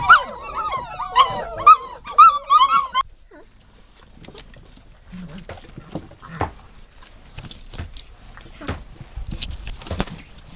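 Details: Dog whining in a run of high, wavering, harmonic cries that rise and fall over about three seconds, followed by quiet clicks and soft rustling.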